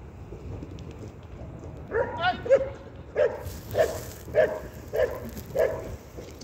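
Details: Belgian Malinois at an IPG 2 regional competition in Sin-le-Noble, France, 2023, giving a short whining yelp and then a steady run of about seven sharp barks, roughly one every half second, over low outdoor rumble.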